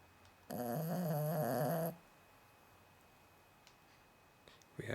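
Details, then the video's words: Kalli, a roughly nine-month-old female Cavalier King Charles Spaniel and a loud snorer, gives one long tonal, nasal snore lasting about a second and a half. Quiet room otherwise, with a faint rustle at the end. "Snoring King Charles Cavalier"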